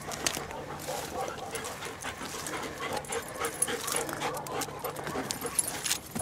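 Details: German Shepherds from DDR and mixed DDR and West German working lines, Dragon and Kona, panting on a rocky hike while practising jumps; quick breathy bursts run steadily throughout, with rustling, footsteps and brief human voices.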